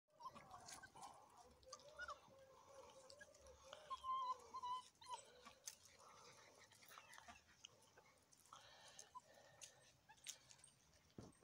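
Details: Great Dane puppies playing in the grass at the Kolibripark give thin, wavering whines and squeaks, most dense in the first five seconds, mixed with scuffling and chewing noises and faint human voices.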